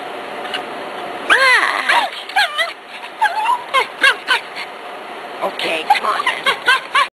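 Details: Excited Cairn Terrier on a gopher hunt, July 2006, letting out a loud wavering yelp, then rapid strings of squeaky whines and yips, several per second, mixed with a person talking.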